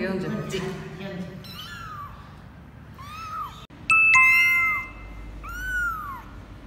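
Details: Twenty-four-day-old kitten of Laki, a formerly stray mother cat in Cambodia, at its first weighing on 24 January 2020; a few arched high meows follow a woman's voice, with a sharp chime tone at four seconds.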